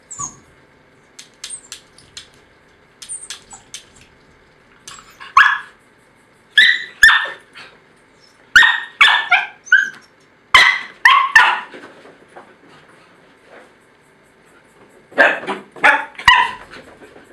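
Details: Chloe, a female Jack Russell Terrier and Beagle cross (jackabee), barks heatedly and loudly while arguing with her twin: bursts of sharp, high barks, often in pairs or triplets, separated by short quiet gaps, with faint squeaky whines early on.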